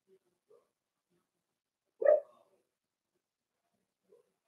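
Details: Single clear whimpering yelp from a four-week-old Cavalier King Charles Spaniel puppy in an indoor pen, flanked by a few faint soft squeaks in otherwise quiet surroundings.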